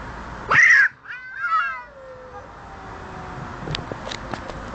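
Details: Two cats quarrelling, a tense fight: a loud rising-falling yowl with rich harmonics, then a wavering moan sliding downward, trailing into faint background noise with a few soft clicks.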